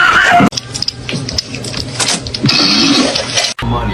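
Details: Music plays with speech and scratchy, clattering noises, and no animal voice stands out.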